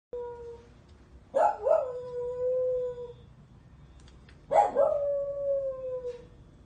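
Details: Dog howling twice, each a harsh yelping onset sliding into a long, steady mid-pitched tone that fades out over about one and a half seconds, with quiet pauses between.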